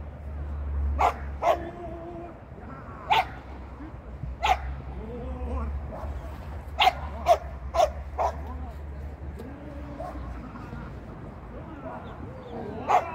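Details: During its ninth training lesson on 8 November 2022, a Shetland sheepdog lets out about nine short, sharp barks at uneven intervals, some in quick pairs, between stretches of human speech over a low background hum.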